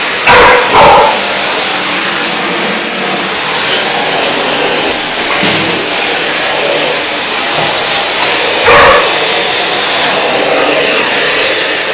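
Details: Five-month-old pet dog Gresca confronting a vacuum cleaner: a quick pair of sharp barks at the start and another single bark later, all over the loud continuous hum of the vacuum.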